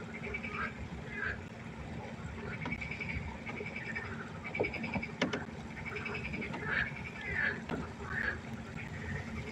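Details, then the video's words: Frogs calling at night by the pond, a scattered chorus of short croaks and quacking notes from several animals, with a low humming background and a few sharp clicks. "1 Stunde Froschkonzert. Frosch Geräusche quaken. Frösche Geräusche Konzert"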